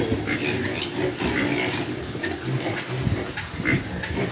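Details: Pigs at a farm housing sows with young, a dense mix of rough grunting and snuffling noises throughout, with brief higher squeaky bursts over a steady background hum.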